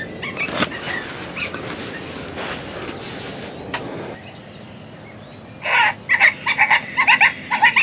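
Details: Coyotes in summer: after a stretch of rustling and insect drone, a string of short, bright, doubled yips breaks out, bursting roughly twice a second toward the end.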